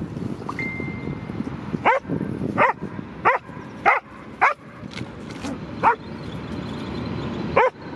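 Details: A dog at the park goes crazy after seeing a squirrel, barking about seven times at uneven intervals; a short thin whistle-like tone sounds early on, with a constant low background hum throughout.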